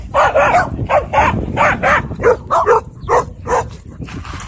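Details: Dog barking at a dog park during a conflict between a Bull Terrier and a German Shepherd; sharp, rapid barks in quick bursts, about ten in under five seconds, with low background rumble.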